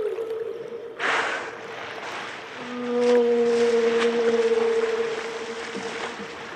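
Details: Whale calling underwater, with steady tonal moans near one pitch, a lower parallel tone and a brief higher overtone layer in the middle, over a hissy watery background with a splash-like burst after the first second.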